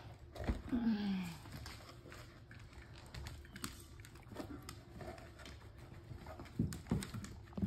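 A Long-haired Weimaraner puppy gives one short, falling whimper, followed by soft shuffling and faint indoor noises.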